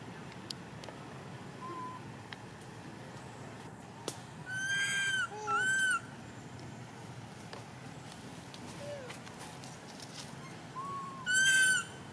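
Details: Little baby monkey crying non-stop when its mother does not care for it; clear, tonal, harmonic wails with slight downward bends, often in pairs, separated by quiet stretches of background hiss.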